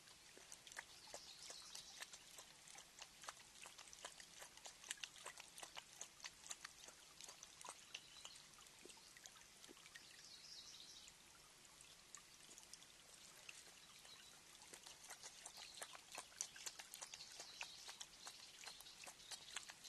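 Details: A mountain lion drinks at MPG Ranch, lapping water in quick, wet clicks and splashes, steady and irregular throughout.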